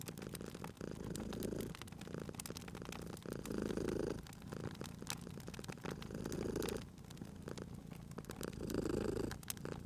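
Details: Sleeping cat purring beside a crackling fireplace in a cozy spring setting: a low, rumbling purr swelling in uneven breath cycles every couple of seconds, with sharp pops and crackles of burning wood throughout.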